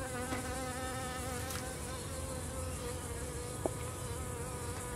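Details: Blue-banded bee visiting a salvia flower while a striped lynx spider moves aside. A continuous, even, droning buzz runs throughout. One short click sounds near the end.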